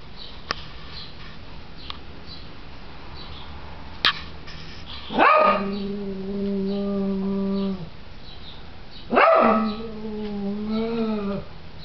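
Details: Japanese Chin and Corgi mix dog, a Chorgi, indoors, sniffing around a shelf after a red piggy bank is put back; two drawn-out, steady, tonal whines of about two and a half and two seconds, with a few sharp clicks before them.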